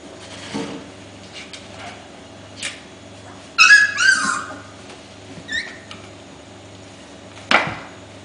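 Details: Welsh Corgi puppies, five weeks old, romping and fighting playfully: a burst of high, wavering squeals and rising whines in the middle, with scattered clicks and short knocks and a faint background hum.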